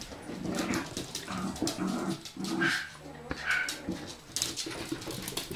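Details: From a group of four Bichon Frise dogs named Blanca, Teddy, Hope and Pretty: quick whiny whimpers and a few soft barks, irregular and overlapping, the yelps rising into brief high squeaks.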